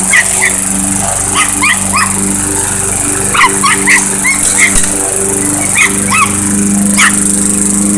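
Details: Small Chihuahua barking at a lawnmower in bursts of two to four quick, high yips separated by brief pauses, with the mower's loud steady engine rumble continuing underneath.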